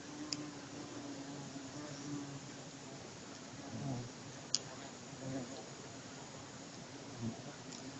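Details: Honey bees from some ten hives, recorded 12 January 2014, fill the air with a steady, low droning hum, broken by a couple of sharp clicks.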